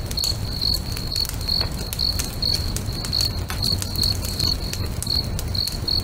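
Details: Crickets singing beside a crackling bonfire next to a lake at sunset: a steady high chirping pulse repeated about twice per second, over constant fire crackle and low rumble.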